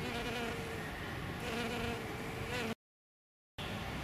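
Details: Low humming buzz of hairy-footed flower bees, males and a female, working Green Alkanet flowers, with a brief silent gap before the drone resumes.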